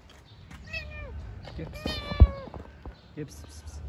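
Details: White kitten that loves to play, giving several high meows with falling, harmonic-rich tones, one drawn-out mew near the middle, while a person talks softly in Turkish nearby.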